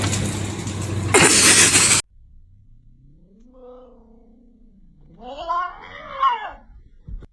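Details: Domestic cat giving a long drawn yowl that rises then falls, followed by a louder, wavering, rising-and-falling yowl, after a short burst of loud noise at the start.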